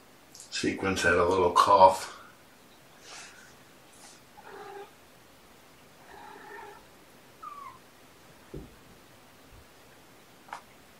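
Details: Domestic kittens with their mother Olympia, indoors in a small room on a morning, 18 February 2018. One loud, harmonic-rich mew lasts over a second, followed by several softer, shorter calls and a thin rising squeak, with a few clicks.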